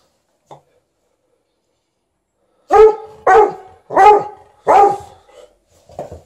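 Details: A 13-year-old Golden Retriever vocally demanding more petting indoors while a Malamute objects: after a faint early yelp, four loud, harmonic barking howls come about half a second apart, then a softer trailing whine.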